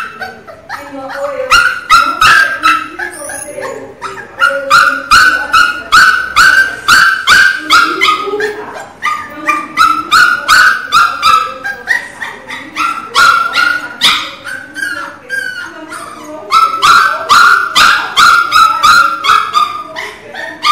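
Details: Teco, a Pinscher puppy, crying very loudly in a long insistent series of high whimpering yelps, about two or three per second, pausing briefly between bursts, with some human voices faintly underneath.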